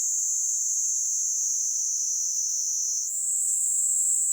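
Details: Platypleura kaempferi, the Kaempfer cicada, sings on a hand in Kanto, Japan, late July 2022; a continuous piercing buzz that dips slightly in pitch, then jumps back up near the end.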